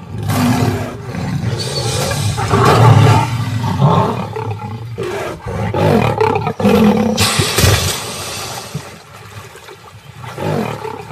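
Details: Lion, the male guarding his pride near a crocodile-infested river, giving deep rasping roars and growls in several loud bursts over broad noisy rumble, with brief quieter gaps between outbursts.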